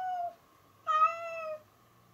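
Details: Domestic cat, female, indoors and playing happily with something she found to use as a toy, gives a short meow and then a longer, clear harmonic meow that holds steady before falling slightly, in a quiet room.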